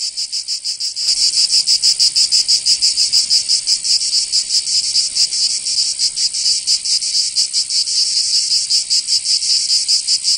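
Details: Cicadas singing in summer in Provence, southern France: a loud, dense high-pitched buzzing chorus, pulsing rapidly and steadily, starting faint for the first second then swelling to full strength; no other sounds.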